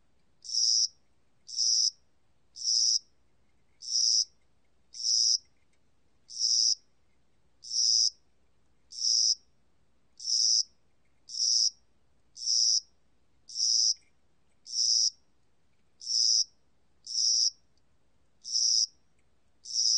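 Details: High-pitched, buzzy chirps from a spring-summer cricket, archived by the National Institute of Biological Resources in 2020, sounding regularly almost every second, seventeen times, against a still, quiet background.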